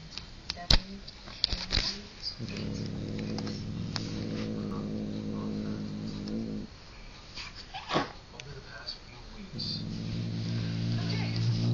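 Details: Swedish house cat attacking pink feathers gives two long, low, steady growls, one lasting about four seconds and a second starting near the end, with Swedish speech and handling noises between them.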